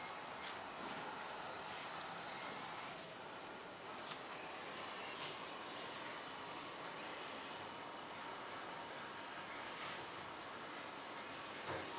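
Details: Only a steady, hissing broadband rumble like distant traffic is heard, with no animal voice.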